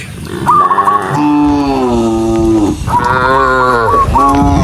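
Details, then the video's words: Dozens of cows on a rural road give long, deep, wavering moos. A low bellow slowly falls over about two seconds, then a higher, brighter moo follows. Clattering footsteps and background noise run underneath. "Dozens of cows running happily along the rural road with the sound of their mooing"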